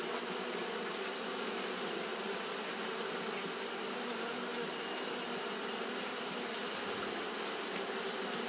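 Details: An even, sustained buzz comes from Japanese honey bees fanning in hot weather. The low, tonal hum never drops out, and a steady high sizzle lies over it.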